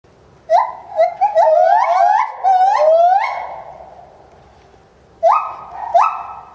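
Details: Bornean white-bearded gibbon calling intensely while leaping about at Higashiyama Zoo and Botanical Gardens, filmed January 2011; loud rising hoots sliding upward in a quickening run, a pause, then two sharp rising whoops near the end.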